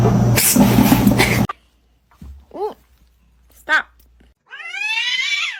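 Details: Domestic cat meowing: a loud noisy burst gives way to two short, arched meows about a second apart, then a longer, drawn-out meow that slides downward.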